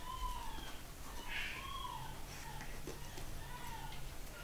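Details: Pugalier puppies, a pug and cavalier cross, nine weeks old, from a new litter at a UK breeder, whimpering indoors: several thin, wavering whines that rise and fall, a brighter short yelp near the middle, over low room rumble.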